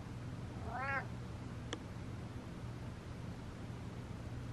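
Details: One brief arched meow from the cat Butters rises and falls within half a second, followed by a sharp click, then a steady low hum and hiss fill the rest.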